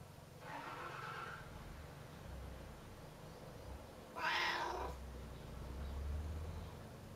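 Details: Pet cat calling at a closed door, wanting it opened and seemingly very curious: two meows about three seconds apart, the first softer, the second louder and brighter, over a low indoor hum.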